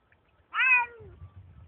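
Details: A single short meow from a pet Bengal cat in the forest. The call is bright and slightly descending, tailing off into a lower sliding note, followed by faint low rustling.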